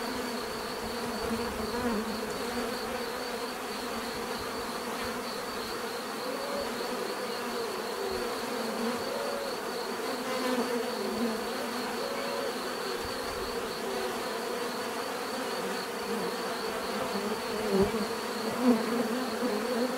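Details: Many bees humming together in a steady natural drone, individual insects rising and fading as they fly past, with a louder close pass near the end.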